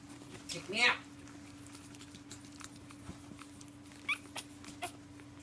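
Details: Pug protesting bedtime indoors, giving one loud drawn-out whining yelp with a rising then falling pitch near the start, followed by a few faint short sounds over a steady electrical hum.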